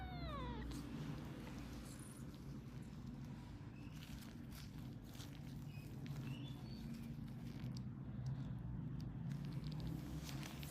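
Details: A sick two-month-old British kitten with a viral infection of the eyes and ears, meowing during ear cleaning: one short falling meow at the start, followed by soft handling rustles, scattered clicks and a steady low hum.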